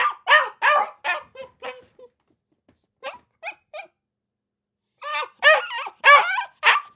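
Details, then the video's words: Akita puppies yapping, loud barks at first fading to thin squeaky yips, a quiet stretch, then a fresh burst of strong barks with whiny edges. "Akita Puppies Barking 🐕 Akita Puppy Sounds 🐶 Puppy Bark"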